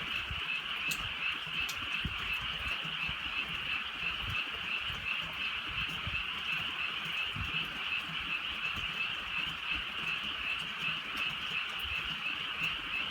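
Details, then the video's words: Night-time frog chorus in the rural countryside as light rain falls: countless frogs give fast, overlapping raspy croaks that merge into one constant high hum, with a few sharp clicks and soft rain noise. "개구리 소리"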